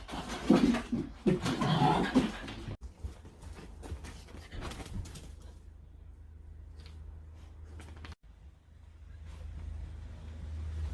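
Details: Three-month-old puppies playing indoors in a small room, with low, rough, growl-like bursts over the first two and a half seconds, then a quiet stretch of low hum and faint clicks.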